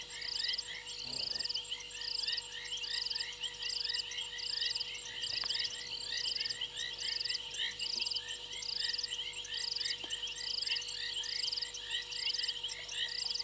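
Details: Frogs on a fallen branch at Gowrie dam in Sabi Sand Wildtuin, South Africa, recorded by a live waterhole camera at 02:07 on 28 January 2022. A continuous chorus of high trilled bursts and dense chirping runs throughout.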